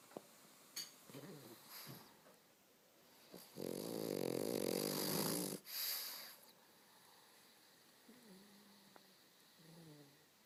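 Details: Pug snoring regardless of being awake or asleep: small snuffles, then a loud two-second grating, buzzy snort with a sharp break, followed by quieter nasal grunts and faint wheezes.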